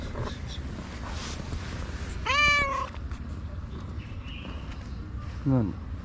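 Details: ['Tabby street cat in Morocco giving two meows: a clear, drawn-out harmonic meow that rises then falls, followed three seconds later by a shorter, steeply descending one, over steady low background rumble.']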